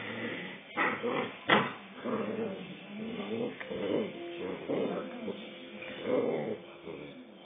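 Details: A 2-month-old Rottweiler pup getting aggressive: low rumbling growls and whiny yips with harmonic bands, broken by short sharp bursts, with faint speech in the background.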